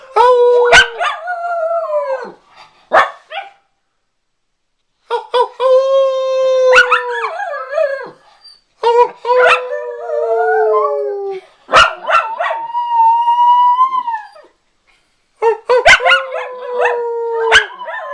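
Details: A Miniature Schnauzer gives long, wavering howls that rise and fall, broken by sharp yips, in response to a passing fire engine.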